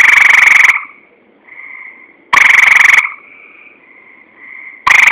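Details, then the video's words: Tree frog giving loud harsh rasping croaks roughly every two seconds, each burst followed by a quieter steady hum before the next call. "Tree Frog"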